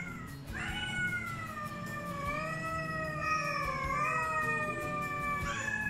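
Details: A black feral rescued mother cat and her two grown kittens 'sing' a morning greeting when they know wet food is coming. One sustained, clear meow holds for about four seconds, slowly sliding down in pitch, over soft background music.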